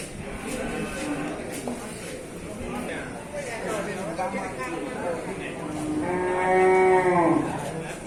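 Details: Herd of water buffalo being taken to the Sibreh market in Aceh Besar, Indonesia; one loud, drawn-out nasal bellow near the end rises over steady crowd chatter and voices of people.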